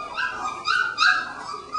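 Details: Three-week-old puppies exploring a newly expanded pen for the first time, making lots of noise; short, high, nasal whines and yips overlap, with two sharper squeals standing out in under two seconds.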